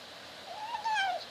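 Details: Kitten eating in a cage, kept from a dog, tries to meow: a single thin, drawn-out mew that rises slightly then falls, clear and high with a strained edge.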